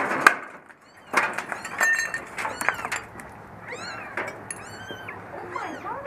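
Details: Two tiny newborn kittens whose eyes have just opened cry from the bottom of a dirty dumpster during their rescue. Loud metallic clanks and bangs come first, then a run of short, arched, high-pitched mews in the second half.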